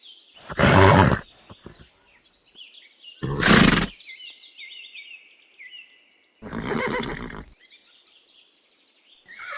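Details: Horse neighing in short loud bursts, each a dense harmonic whinny lasting under a second, with high chirping birds between the calls and a longer fading whinny near the end.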